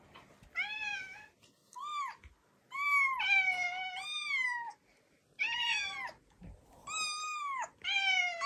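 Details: Kitten-age meowing of Tsukushi, a two-year-old female brown-tabby-and-white cat, played back to a household of cats that gather. Loud, clear meows in quick succession, some falling and some rising then falling, a few short chirps between, with quiet indoor gaps.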